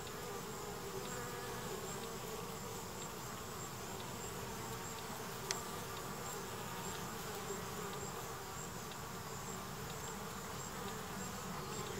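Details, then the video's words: Honey bees washboarding, rocking in place at the entrance of an observation hive. A steady, dense buzzing hum holds for the whole stretch with no breaks, and a single faint click sounds midway. "Wash Boarding Bees at Observation Hive Entrance"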